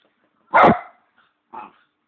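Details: Single loud, abrupt bark from Bichon Leo, a pet dog vocally asking for his bone, followed by a much softer short yelp.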